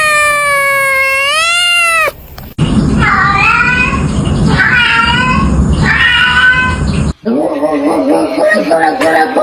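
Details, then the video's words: Cat giving one long, wavering meow, then three shorter, bending meows in a row, followed by a rougher, warbling cry, with some background voices. "Meow Meow Meow"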